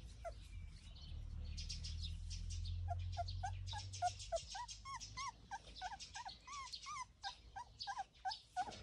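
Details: Cane Corso family playing together, giving quick series of short high whines and yelps, many rising then falling, with rustling and a low rumble early on.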